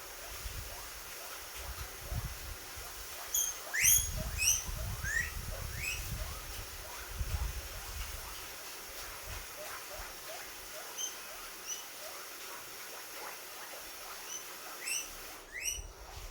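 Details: Guinea pig squeaking happily: short, sharp, rising squeaks with bright overtones, clustered in quick runs over the first seconds, then scattered singly, over a steady low rumble and a brief rustling noise at the end.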